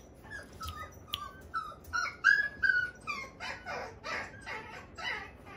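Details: Red female Toy Poodle puppy named Luna, 57 days old, born January 9 and weighing 580 g, kept at a Toy Poodle shop in Machiya, Arakawa, Tokyo; a series of high, wavering whines and whimpers, some rising, repeated rapidly and unevenly.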